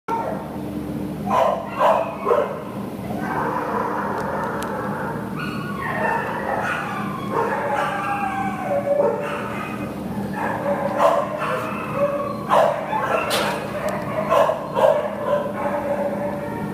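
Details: Terrier waiting for adoption at a shelter, recorded 10 September 2015 in the morning: irregular high whining yips and short whimpers in uneven bursts, over a steady low background hum.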